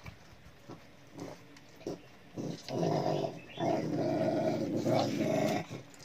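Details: Pet dog growling steadily in long rough low rumbles from about two and a half seconds onward, sustained pulses with brief pauses between them.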